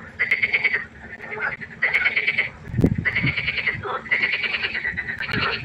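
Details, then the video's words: Nighttime pond frogs producing rapid, buzzy pulsed croaks in repeated bursts of roughly a second each, with a brief dull thump partway through and a faint low hum. "1 Stunde Froschkonzert. Frosch Geräusche quaken."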